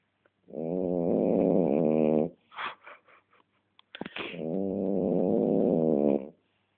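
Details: French Bulldog snoring indoors: two long, buzzy, rasping snores of about two seconds each, separated by a short spell of quieter breathing and small snuffles.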